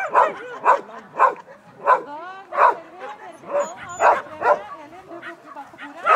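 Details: Schapendoes on an agility course at a Fredrikstad competition, August 2016, giving a string of sharp barks roughly every half second with whining, upward-sliding yips between them, while a person speaks nearby.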